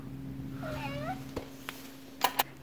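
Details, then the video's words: Pet cat that bathes well, shown growing from kitten, giving a short falling, harmonic meow with soft wavering tones, then a few clicks and taps in a quiet room. "Cat Growth Process"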